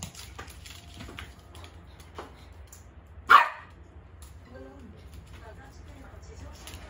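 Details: During morning ball play a poodle lets out a single loud, abrupt bark midway, surrounded by low room hum, scattered small knocks and a brief murmur of human voice afterward.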